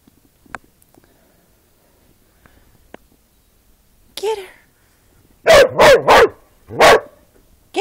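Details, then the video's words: Border Collies playing together in a yard, giving a short faint yelp, then a run of loud, harmonic barking howls, four close together and one after a pause, with a person calling encouragement to the dogs. "Border collies playing & howling"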